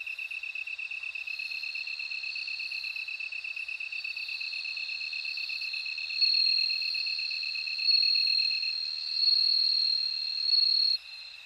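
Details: Continuous, rapidly pulsed lower insect chirping runs for about nine seconds. Meanwhile a bell cricket's high ringing trill grows stronger and swells in four distinct loud phrases in the second half before fading.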